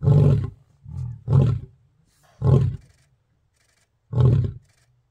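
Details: Male lions in Kruger National Park marking territory with roars: four deep, grunting bursts and one softer one, each under half a second, separated by pauses of about a second, with little background noise.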